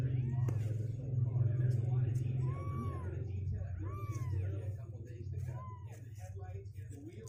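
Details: Kittens aged about two weeks, sixteen days old and restless in their box, give three clear arched mews spaced a second or two apart over a loud low rumble.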